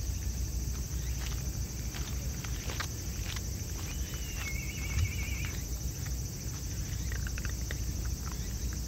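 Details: A family of raccoon dogs eating together, their crunching heard as sharp, irregular dry clicks and snaps against a steady low rumble, with a brief high whistled bird trill partway through.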